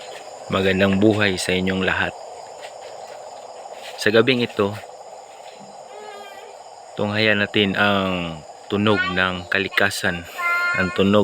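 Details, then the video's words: Several frogs calling at night close to a house: low, nasal, droning harmonic croaks in overlapping bursts of about half a second, with some rising and falling calls and a steady insect hum behind. "Sound of frogs so amazing nearby my house (tunog ng palaka)"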